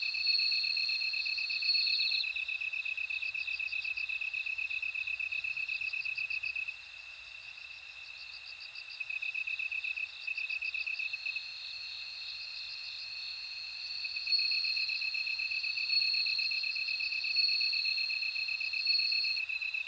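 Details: Bell cricket song: high, ringing insect trills on two steady pitches, overlapping from several callers, with faint clicking pulses above. The chorus drops quieter for a few seconds midway, then swells back.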